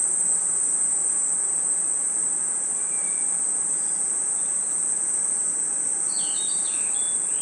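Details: A continuous high, even buzz of crickets and insects fills a forest at night, with a faint short note near three seconds and a cluster of quick falling whistles after six seconds.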